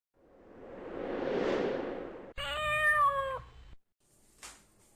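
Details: A young kitten meets the resident house cats for the first time and is ganged up on. A broad breathy hiss swells and fades, then a steady, level, clear meow lasts about one second, followed by a short click.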